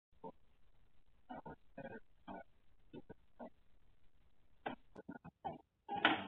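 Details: A Basenji caught after an escape gives short, grunting yelps and yodel-like cries, scattered unevenly and ending in a louder wail.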